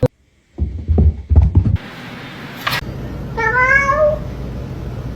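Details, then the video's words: Kitten meowing indoors: after a few low knocks and a brief noise burst, a single drawn-out, slightly rising meow with rich harmonics over a steady low hum. "kitten meowing call"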